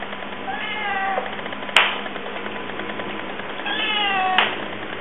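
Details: Evil Penguin, a male African cat with one blue and one yellow eye, turns aggressive while eating dinner and makes crazy sounds: two drawn-out, harmonic wailing meows about three seconds apart, with sharp clicks after each.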